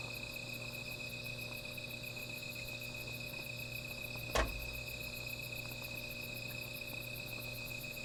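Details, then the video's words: Insects calling at night beside a small fire: steady high, shrill droning tones overlaid with a very high pulsing trill, continuous throughout, broken once midway by a single sharp crack or snap. "Sound of Insects"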